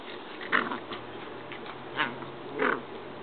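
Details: Corgi puppies playing together give three short, sharp yaps over a low steady background hum.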